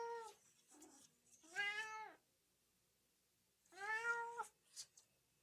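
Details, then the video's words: Two clear cat meows with arched, harmonic shape over quieter scattered clicks and faint background noise; cat sounds played to set off dogs. "RUMORI GATTI PER CANI"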